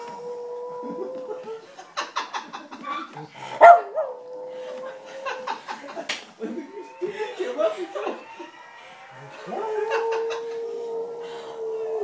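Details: A dog howls in long, wavering tones along with a steady ambulance siren sound played from a computer, with human voices and music in between.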